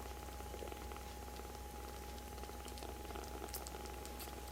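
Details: Rescued baby kittens, very affectionate with each other, crowding together onto a person's right hand indoors; soft, continuous low rumbling purr with faint ticking and rustling, plus a steady electrical hum.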